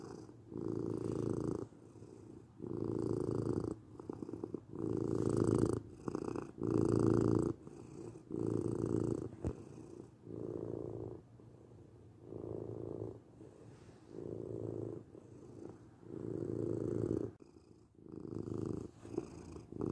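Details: Domestic cat giving a long, low, throbbing purr in regular breath-paced bursts, some louder and some fainter, with brief quiet gaps and a short click-like sound near the middle.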